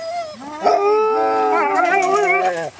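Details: A gray wolf pack, including young wolves, howls together in June 2008 to welcome a keeper home. The long, wavering, overlapping tones form a happy greeting.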